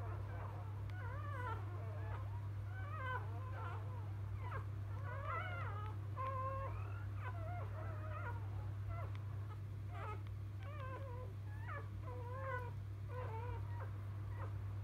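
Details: Field-type Labrador Retriever puppies moments after birth to biscuit, 2017 JFA Grand Champion; a busy stretch of overlapping squeaky whimpers and wavering squeals, several voices crying at once above a constant low hum.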